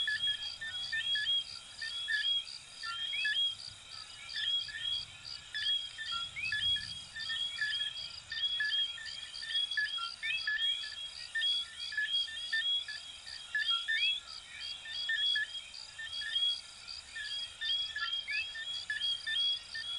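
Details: Many coquí frogs of Venezuela and Puerto Rico whistle together without a break, their short rising two-part notes overlapping densely, while a constant bead-like insect trill ticks steadily above and faint low rumble sits below.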